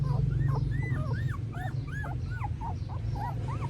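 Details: Several squeaky, arched whines in quick succession from newborn puppies in Cambodia, about three per second, over a loud low hum, recorded on a phone.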